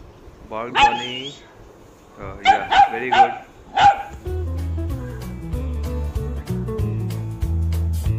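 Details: A 3-month-old Labrador Retriever puppy barks for the first time, giving a few high, yappy barks in short bursts, then music takes over.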